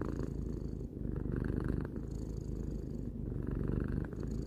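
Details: Tarou, a domestic cat of three years, gives a close, rumbling purr; two or three breath cycles are heard, the buzz dipping briefly at each turn between inhale and exhale.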